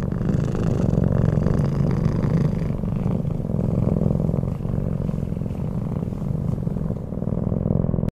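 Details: Sleeping Bengal cat named Pebble purring close up, a dense low rumbling vibration pulsing rapidly and evenly throughout, with brief rustles near the start and an abrupt cutoff at the end.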